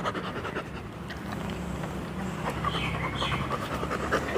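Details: Pet Labrador Retriever panting steadily in quick soft huffs, about three breaths a second, with small bird chirps and low background hum behind.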